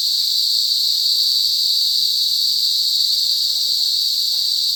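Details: Cicadas in a forest produce a loud, sustained high drone with steady intensity and faint overtone layers, uninterrupted across the few seconds heard.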